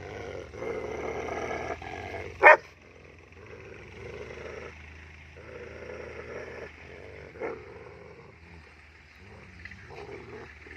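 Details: German Shepherds, one double-coated and one single-coated, fighting; quieter rumbling growls come in bursts, broken by a single sharp yelp-like cry and a later brief snap, with pauses between.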